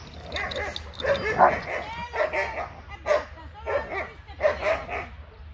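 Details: Tala, a two-year-old medium-sized female German Shepherd mix offered for adoption by the Trovatelli4000 animal association, barking: about six sharp barks, some doubled, spaced roughly a second apart, with a person speaking and a low background hum.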